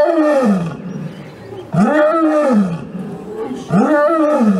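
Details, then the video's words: Lion roaring: three deep, arching bursts about two seconds apart, each swelling up and falling away with a rich, rough tone, quiet gaps between. "Lions Roaring Compliation"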